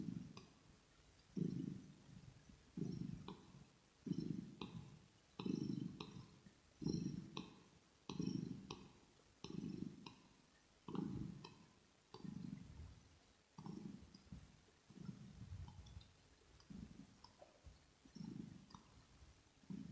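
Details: Rosetta, a pet kitten, purring for an ear-to-ear ASMR recording while being groomed. A deep rumbling purr swells and fades with each breath, about every 1.3 seconds, with faint soft clicks above in a quiet small room.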